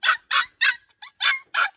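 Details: Two white rescued stray pups fussing after being shut in their cage. Loud, high, harsh yaps come about every third of a second, six in a row, with no other sounds.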